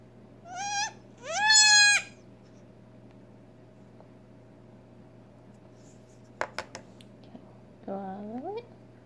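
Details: A newborn Nigerian Dwarf goat kid, a female just over six hours old that cannot yet walk or feed on her own, bleats while being syringe fed colostrum: two rising, quavering cries, clicks, then a lower wavering bleat over a steady hum.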